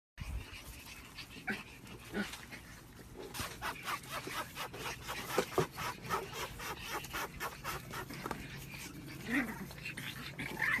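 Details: A group of puppies play fighting indoors, with rapid scuffling and clattering bursts, soft panting, and a few brief squeaky yelps toward the end.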